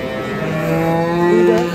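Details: A dairy cow at Ambari cattle market, Parbatipur, Dinajpur, Bangladesh, 28 April 2025, gives one sustained low moo that holds steady and rises slightly at the end, with market hubbub behind.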